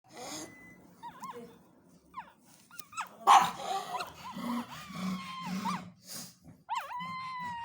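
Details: Pug puppy making sounds while asleep and dreaming: short high whimpers and squeaky whines rising and falling, scattered among soft snuffles and breathy noises, with a few sharper yips.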